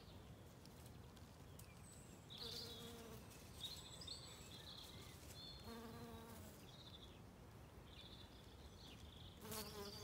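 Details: Bees foraging on spring wood anemones in sunshine in an Irish wood in County Kilkenny, giving a continuous low hum, with louder buzzing passes as insects fly close and bright bird chirps in the background.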